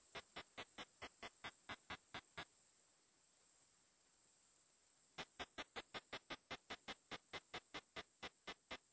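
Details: Ultrasonic song of Tettigoniopsis ehimensis, made audible through a bat detector: regular sharp ticks about four per second, a three-second gap of hiss, then the ticking resumes steadily over a faint sweeping tone.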